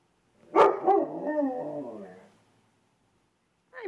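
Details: Female dog in a busy area, learning to howl at passing sirens: a sharp yelp opens a wavering, harmonic howl lasting about two seconds that slowly fades, followed by silence and a brief falling whine at the end.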